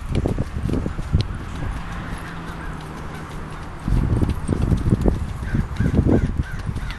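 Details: Ridden mare, calm and responsive, that backs up well and stops on a word. Dull, low thudding hoof falls come in irregular bursts at the start and again through the second half, over a steady low hum, with faint voices.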